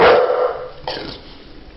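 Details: Pet dog talking to its owners indoors: one loud, abrupt bark-like burst at the start, then a short softer yelp around the middle, fading into quiet room noise.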